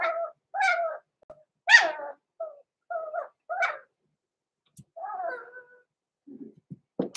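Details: Blenheim Cavalier King Charles Spaniel puppies, six weeks old, born November 14, 2022, in an indoor pen: a string of high whiny yelps in quick succession, then a drawn-out whine and faint scuffling.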